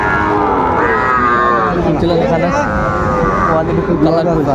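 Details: Sahiwal bull bought at a cattle market by a farmer from Magura, Bangladesh, on 22 August 2024: a long, low, drawn-out moo with rich stacked harmonics, set against men's voices haggling loudly nearby.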